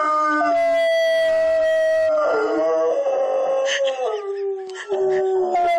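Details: Two pet dogs howling in response to a firetruck siren, long sliding wails that fall and rise in pitch, overlapping the siren's tone, with a woman's voice briefly heard.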